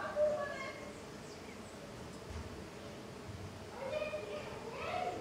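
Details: Jatai stingless bees (Tetragonisca angustula) swarming actively at the hive entrance; quick gliding buzzes as individual bees pass close, at the start and again near the end, over a quiet hum.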